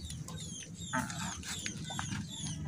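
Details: Baby otter named Molla, a pet raised from young and never released to hunt, standing and screaming as it waits to be fed freshly caught fish; high, thin, falling squeals repeated rapidly over low background noise.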